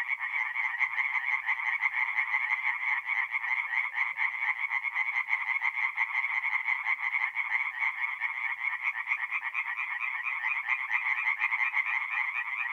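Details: Night chorus of tree frogs at a forest pond, north-east Italy, in mid-April: steady overlapping trains of quick nasal pulses merging into an unbroken, vibrating drone, nothing else audible.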